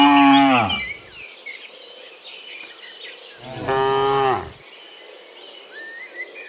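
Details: Two loud moos, about three seconds apart, from cows coming back from the field to the pen in the morning, then a quiet stretch filled with birdsong and insect chirring.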